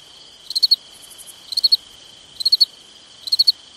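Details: Crickets at night in summer giving quick four-pulse chirps nearly once a second, with a softer trill between the first two and a sustained high whine throughout.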